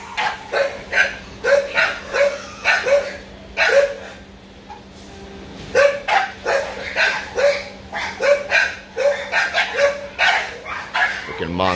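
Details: American Bully dog named Muscletone Beanstock, barking in short sharp bursts, roughly one or two per second with a brief pause near the middle, over a faint steady low hum.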